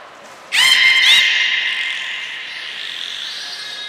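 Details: At Nagoya Port Aquarium, Japan, on 1 November 2020, belugas Hodoi, Taanya and Mirai are being trained. A sudden loud, buzzy, harmonic call with a short whistle on top, then a long echoing tail that slowly dies away.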